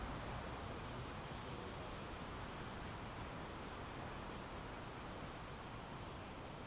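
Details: Cicadas shrilling in an even, high-pitched drone that swells and fades in quick regular beats, about four per second, against steady hiss.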